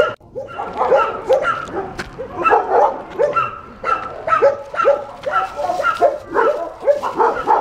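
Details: Leonberger dog recorded in September 2013, giving a run of rough, strained barks and yelps roughly every half second, with voices talking over it.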